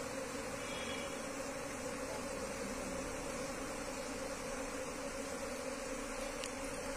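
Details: Wild Asian honey bee colony being moved into a hive box, giving a steady, dense droning hum with a low, even pitch and no breaks, and a faint tick near the end.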